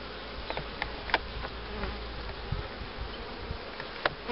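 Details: Honey bees humming at hives being prepared for queen rearing in 2013, with a cell-starter hive and a box of breeder queens; a low, steady droning hum runs throughout, broken by scattered sharp clicks and knocks from handling.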